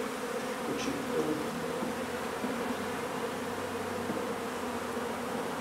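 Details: Honey bees in a nuisance hive inside an old home under renovation in Donna, Texas, during removal in hot weather; a steady, low droning hum of many wings fills the air with no break, with a faint brief voice near the start.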